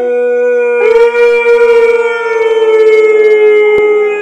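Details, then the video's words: Siberian Husky howling in the morning: one long steady tonal howl, rich in harmonics, holding nearly level pitch and sliding slightly downward, with a faint wavering pulse through it. "Morning Husky Howls"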